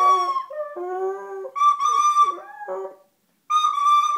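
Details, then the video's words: Dog reacting to flute playing, answering with low, drawn-out wavering howls that bend downward while the flute holds bright sustained tones; a brief pause before the flute resumes. "The singing dog"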